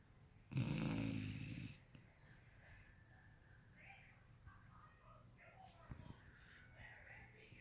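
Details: Sleeping beagle snoring indoors; one loud, rough, low snorting snore for about a second, followed by quieter breathing and soft faint sounds in a small room.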